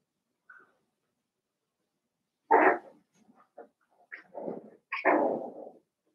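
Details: Seven-week-old blenheim Cavalier King Charles Spaniel puppies from a litter of five in an indoor puppy pen. After a short high yip come two loud, harsh barks about two and a half seconds apart, with softer yelps between them.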